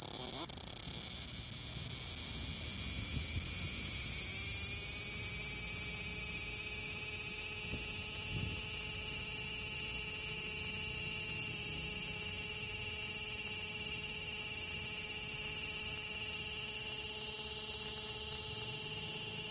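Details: Large brown cicada, Graptopsaltria nigrofuscata, recorded 18 August 2020: a bright, harsh frying hiss held continuously, its texture shifting slightly near the end, over a faint steady low hum that enters after a few seconds.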